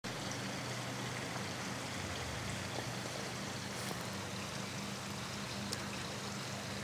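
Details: On a spring day, a continuous trickling stream rushes along with a low hum and a few soft clicks, and no barking is heard.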